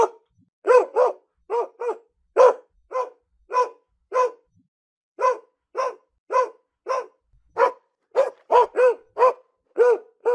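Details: Domestic dog barking steadily, around twenty clipped barks, some in quick pairs, and a few short pauses. The background is clean.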